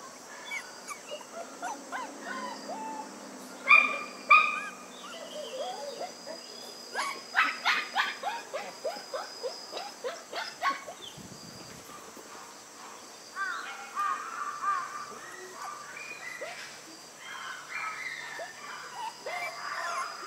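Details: Newborn White Schnauzer puppies born on September 3 squeak and yelp in scattered bursts, a quick cluster of sharp cries midway, then quieter thin whimpers with faint rustling between.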